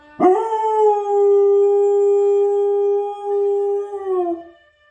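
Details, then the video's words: A dog howling along with a CBS trumpet: a single long, steady, clear note that scoops upward at the start, holds level for about four seconds, then bends downward and fades. "Howling at CBS trumpet!"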